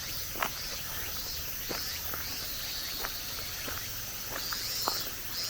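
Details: High droning cicada chorus in a Japanese mountain forest as summer ends, swelling slightly in loudness, while scattered footsteps crunch on gravel and stone paving along a forest road.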